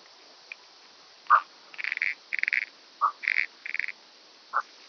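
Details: Common pincer grasshopper (Calliptamus italicus) recorded on Pag, Croatia, on 2 September 2019: a handful of short, dense buzzy bursts, some lower and clipped, others fuller and grouped in quick pairs, over faint hiss.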